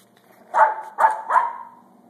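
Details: A feisty female Pembroke Welsh Corgi, worked up and going wild, gives three quick, sharp barks in a row.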